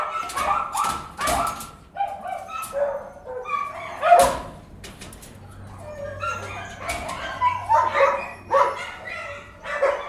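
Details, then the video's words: Dogs barking indoors, sharp harmonic barks in uneven bursts with short pauses between, some higher yips mixed in and a faint low hum underneath. "DOGS BARKING INDOORS"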